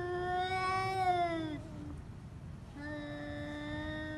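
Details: Pet cats during a fight, a steady, drawn-out yowl holding nearly level pitch for over a second, a short pause, then another flat, sustained howl beginning.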